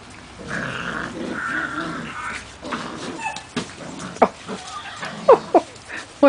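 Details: Poodle puppies playing outdoors in chilly rain on 11/4/10 after going out to potty; a low, rough growling rumble for about two seconds, then short sharp yips toward the end, with steady rain patter and a woman talking.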